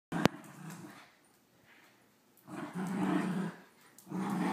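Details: Two dogs tear apart a new stuffed squirrel toy, one growling in rough, throaty bursts: a short growl, a brief lull, then two louder, longer rumbling growls, indoors.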